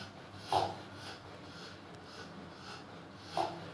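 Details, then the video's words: Rottweiler snoring: two loud, rough snorting breaths about three seconds apart, with softer breathy sounds in between against a quiet background. "Rottweiler peek snoring"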